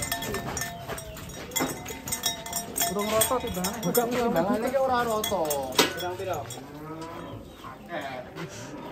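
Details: Cattle in an Indonesian village holding large sacrificial cows of about one ton, lowing with wavering, drawn-out moos rising and falling over several seconds, mixed with clinking bells, voices and background music.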